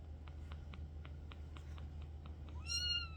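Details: Kitten, addressed as a girl, wandering off while her sister is nearby. A run of faint, evenly spaced ticking taps leads into one short, high meow near the end. A low steady hum runs underneath.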